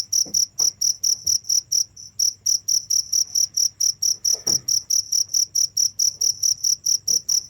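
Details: Steady shrill cricket chirping at about two pulses per second, with a brief gap near two seconds and a few soft knocks and rustles in the background.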